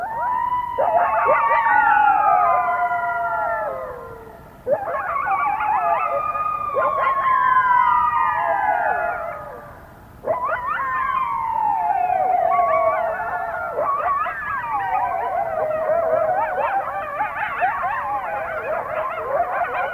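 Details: Coyotes in a loud night chorus near a nest around 1:20 AM on 21 February 2022 give overlapping wavering howls and high yips rising and falling in three bursts.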